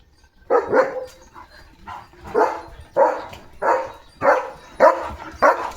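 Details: Leo, a pet German Shepherd, playfully running off with a shoe in his mouth, barks in a loose series of about eight short, mid-pitched woofs with uneven gaps, roughly one every half second to second, after a brief quiet start.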